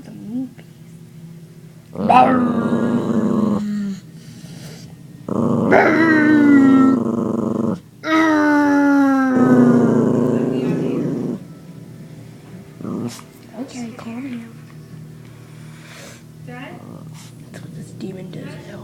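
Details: Teased puppy angrily growling on a couch indoors: three long rasping growls, each rising into a whiny, harmonic howl-like moan that bends downward, then quieter grumbles and scattered speech.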